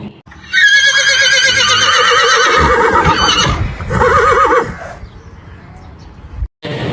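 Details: A horse neighs to communicate with other horses, for example to signal food or danger: a loud, quavering neigh lasting about four seconds, falling and wavering in pitch, then a short rougher burst, with faint speech underneath.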